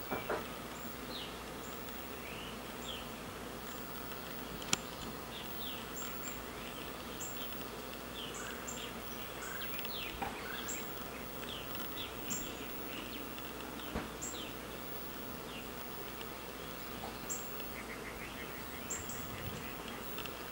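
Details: Honey bees swarming around and flying in and out of a huge old hollow oak tree in a yard, where a colony seems to be settling, make a steady, many-layered drone with faint high chirps scattered through.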